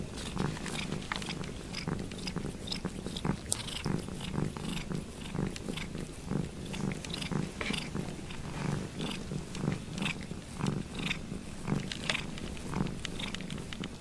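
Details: Ruby Kitty, a domestic cat, purrs loudly while licking Lugosi's foot: continuous low throbbing purr beating roughly once a second, overlaid by crisp wet slurps and lapping clicks of grooming.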